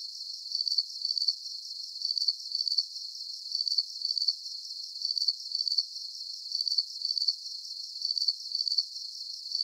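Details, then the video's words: Crickets chirping for relaxation at night, shrill and high, each chirp a rapid cluster of pulses, arriving in paired bursts with short quiet gaps between, steady throughout and otherwise silent. "Calming Cricket Sounds"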